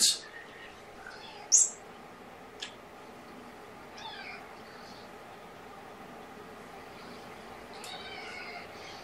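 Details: Kittens born November 22, with their surrendered mother cat, heard indoors in the afternoon: a few short, high, thin meows spaced through the clip, with faint background hum.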